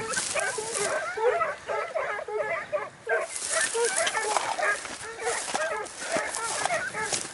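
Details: Segugio Italiano hound in hare hunting training in Evros, Greece, on 12 September 2018, giving rapid high yelping barks in overlapping bursts with short pauses between runs.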